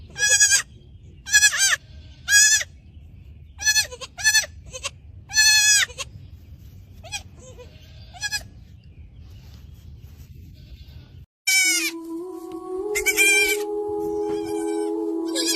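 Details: Little goat kid giving a run of short, high, wavering bleats roughly once a second for six seconds, then quieter, before music starts and further bleats sound over it.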